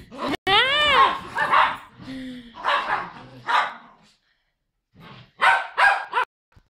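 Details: Poodles meeting again at a reunion: a high, wavering whine rising and falling at the start, then excited barks among human voices, a short lull, and a closing trio of sharp barks.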